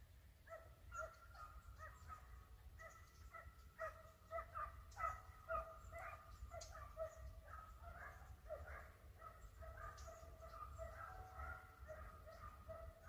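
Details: Pack of hare-hunting dogs in full cry, about two barks a second in a steady irregular chorus of high, ringing yelps, heard from a distance with wind rumble underneath.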